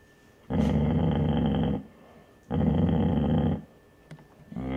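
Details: Basset Hound mother growling to protect her pups from an older man, recorded indoors. Two long, rough, buzzing growls of about a second and a half each, with quiet gaps between them.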